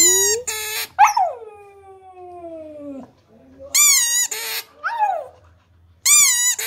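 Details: Siberian husky howling in a singing manner: a yowl breaks into a long, smoothly falling howl lasting about two seconds, followed by several shorter arched yowls rising and dropping in pitch.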